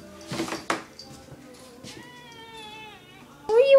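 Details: Kitten meowing at night outside a bedroom door, wanting attention: after a person's spoken words comes a drawn-out, steady, tonal meow, ending in a loud, sharp, rising cry. A quiet room.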